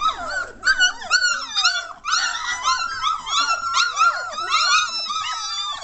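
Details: German Shorthaired Pointer puppies at three weeks old, lively and noisy, filmed 22 May 2014: dense overlapping yelps and drawn-out whining squeals, some long wavering cries, almost continuous, with a faint low hum.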